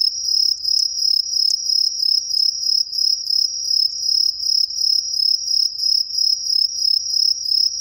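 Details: Many green tree crickets singing from roadside trees in an Ehime residential area, Japan, unseen in the foliage; a continuous, very high, bright pulsing chirp about three beats per second, with a few faint clicks in the background.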